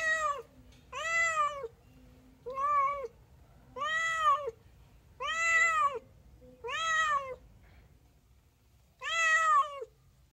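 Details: A domestic cat gives a run of loud, arching meows, each rich in overtones, rising then falling, spaced unevenly over ten seconds, with one longer pause before the last call; otherwise quiet indoor setting.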